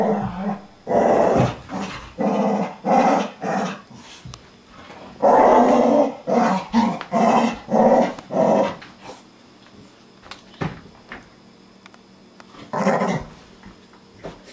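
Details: Pet Chow Chow dog indoors in a small room, growling in rough, low bursts repeated about twice a second, pausing briefly midway, then one final burst near the end.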